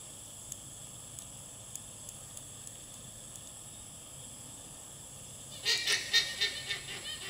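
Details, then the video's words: A female alpaca gives a shrill, honking alarm call to her herd in rapid pulses after a quiet start. "Female Alpaca's Alarm Call"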